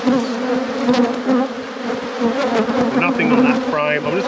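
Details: Buzzing honey bees in a productive apiary being inspected: an unbroken, even low hum with a brighter drone above it, and a few short human vocal sounds toward the end.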